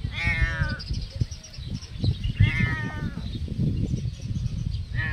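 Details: Cat meowing loudly: two drawn-out, nasal meows that rise slightly then slide downward, about two seconds apart, with a third starting at the end, over steady low rumbling background noise.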